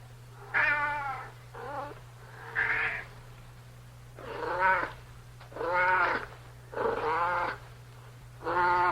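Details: Cat calling insistently with seven meows of varying length and pitch, some bending upward, others wavering, all set against a constant low electrical hum.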